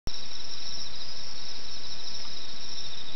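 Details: Insects chirping at night in the Okayama countryside, Japan, recorded in 2005: a dense, unbroken high shrill trilling holds steady throughout, with faint fluttering texture and no other clear sounds.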